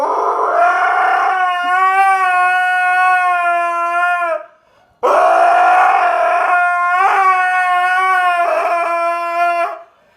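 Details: Pet dog howling as a funny noise: two long, steady, rich howls of about four and a half seconds each, separated by a short pause, the second wavering slightly near its end.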